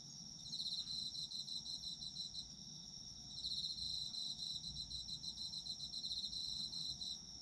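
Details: Autumn insects at night-time sleep-ASMR chorus: a steady high shimmering trill with a pulsed chirping layer over it, bursts lasting about two to three seconds and repeating, faint low rumble beneath.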